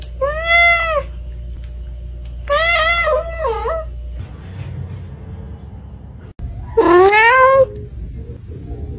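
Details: Domestic cat meowing in several separate bursts: short arched meows, a wavering double meow, then a long meow that rises and settles after a pause, over a low steady hum.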